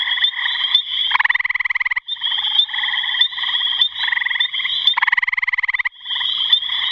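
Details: Trilling gray tree frog: short, coarse pulsed bursts of about a second alternate with smoother stretches, several times in seven seconds. A constant high whine continues underneath.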